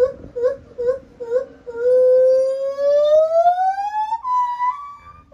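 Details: Lar gibbon singing at Japan Monkey Center: a few short hooting notes, then one long pure whistled note sliding steadily upward and ending in a higher held tone, the voice changing pitch within the phrase.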